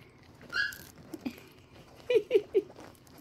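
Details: Newborn male Chihuahua puppy, described as feisty, from a litter born August 28, 2022 in Michigan. It gives a quick run of four short squeaky yelps after an earlier thin squeal, while a person talks nearby.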